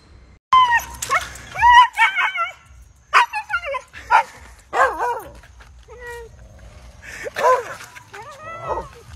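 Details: Siberian Husky, described as crazy and hyperactive, giving a run of high, wavering whines and yipping cries that rise and fall in short bursts, with brief pauses between, alongside music, laughter and a person's voice.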